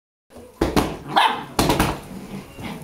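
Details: Tricolor Shetland Sheepdog named Sky barking during play indoors, January 2011: two sharp broadband barks about a second apart, followed by a softer yip, with a person calling the dog in Dutch.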